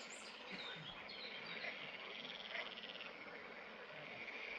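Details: Green frogs (Pelophylax) at the fishponds of the Draga valley, recorded 11 May 2024. A dense, continuous chorus of rattling, pulsed croaks over a broad hiss, with a brief high chirp near the start.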